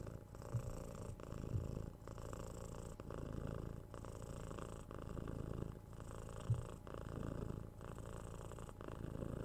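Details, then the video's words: Purring from a 6-month-old kitten during cuddles, pats and head scratches; continuous deep vibrating rumble broken by short pauses roughly every second with each breath, a few soft handling clicks. "Cat Purring"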